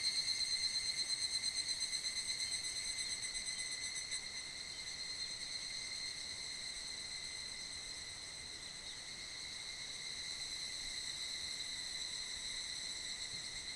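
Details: A dense, steady evening chorus of evening cicadas (Tanna japonensis) in mid-July: high-pitched ringing tones blending into one shimmering wall, echoing through a valley in the Nunoya Kanmuriyama foothills on a hot summer evening.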